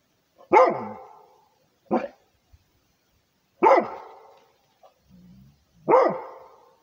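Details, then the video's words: Rhodesian Ridgeback barking to guard its territory: four loud, sharp barks spaced unevenly over seven seconds, each with a quick falling tail, plus a faint low rumble between them. "Rhodesian ridgeback barking for the territory"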